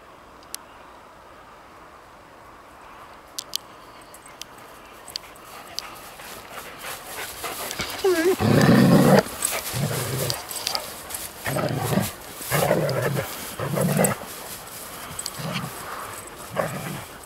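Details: Eddy the Schnauzer romps with RED, a young German Shepherd, outdoors: after a quiet start, a series of loud, deep, rough barks and growly yelps comes roughly once a second, with scuffling and faint human voices around.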